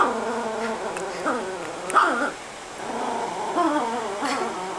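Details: Lilo, a pet Chihuahua hiding in the couch chewing a bone, growls when someone tries to pet her. Her rumbling, wavering growl has a motorcycle-like quality and rises into a whiny pitch sweep midway, over an indoor room tone.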